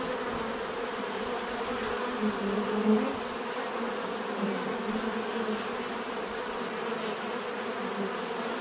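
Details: Bees buzzing together in an unbroken drone, a warm layered hum with a short louder buzz near the middle as one bee comes close.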